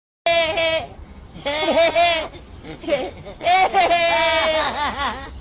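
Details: Goat giving loud, quavering, almost human-sounding bleats in three bursts, the middle and last ones long and wavering, with a short choppy sound between them; nothing else clearly heard.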